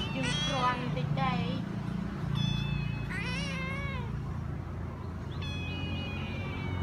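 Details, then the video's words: House cats and kittens taken in as strays meowing repeatedly: short high cries at first, then a long wavering meow and later a thin sustained one, with low voices and hum in the background. "Meow Meow of cat"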